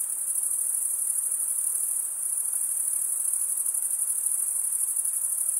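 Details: Crickets stridulating, the chirp made by males drawing one wing along the serrated vein of the other. An even, high, finely pulsing trill continues without pause and carries no other sounds.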